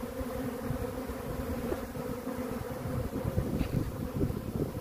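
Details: Honey bee swarm making a steady, dense, low droning hum that swells slightly toward the end, with no other clear sounds.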